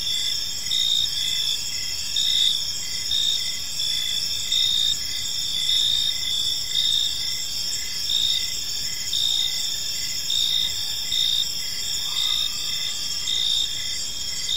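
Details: Crickets chirping on an evening in a peaceful park: several overlapping high, steady trilling bands with pulsed chirps layered above, one louder chirp pattern rising and falling about every second, over faint low background rumble.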